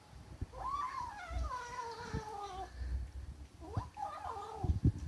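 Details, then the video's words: Kitten protective of her food lets out a long descending harmonic yowl, then after a pause a second bending growl. Low thumps and handling noises surround the calls. "Kitten makes strange noise"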